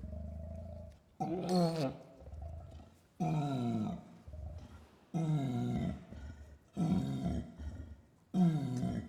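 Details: Long call of an orangutan in the rainforest, communicating across dense jungle: a series of six loud, descending roaring pulses roughly every one and a half to two seconds, separated by low grumbling growls.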